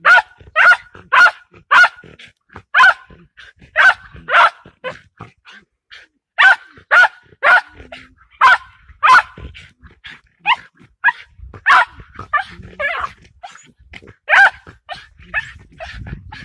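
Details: Patterdale Terrier barking while confronting a fox: sharp, loud barks in irregular bursts of two or three, with short pauses between groups and faint yips in the gaps.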